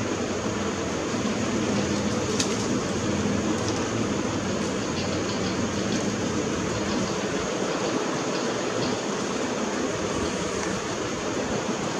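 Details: Steady broadband rushing noise with a few faint high clicks and no animal calls.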